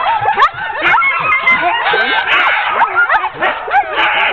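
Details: Team of ten sled dogs being hooked up for a training run in October 2010; many dogs bark, yip and whine at once in an excited, overlapping chorus of rising and falling calls, continuous throughout.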